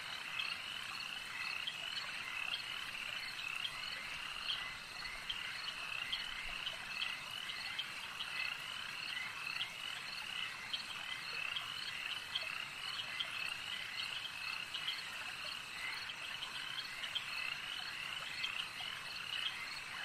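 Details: At a lake, a large chorus of frogs keeps up an unbroken wall of high-pitched croaks and trills, individual sharp notes surfacing irregularly throughout, over soft steady background noise.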